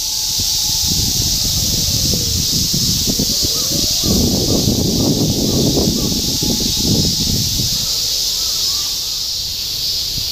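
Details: Summer cicada chorus in Shinjuku, Tokyo, 2016, a constant shrill hiss behind city sounds: a wavering tonal whine, bursts of low noise and brief voices in the middle.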